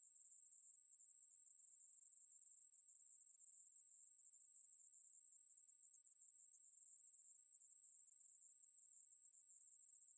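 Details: Conehead katydid (Ruspolia lineosa), song.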